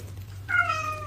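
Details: Cat's brief mew starting abruptly and trailing off into a steady tone, heard over a low electrical hum in a quiet room.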